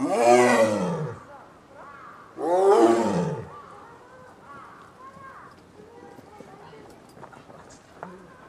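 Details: Female Amur tiger, 8 years old, at a zoo in Japan on 21 January 2011, calling often as she comes into heat: two loud, harsh, rasping roars about two seconds apart, each around a second long, followed by quieter background sounds.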